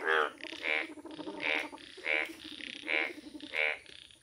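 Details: Indian bullfrog, yellow-coloured, recorded in a village: six evenly spaced, honking croaks about every half to three-quarters of a second, with fainter overlapping calls between them and a faint steady high hum.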